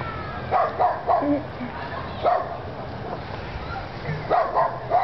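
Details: Frightened poodle barking at a remote control truck, giving quick doubled yaps near the start and end with lone barks between, a low motor whir running underneath throughout.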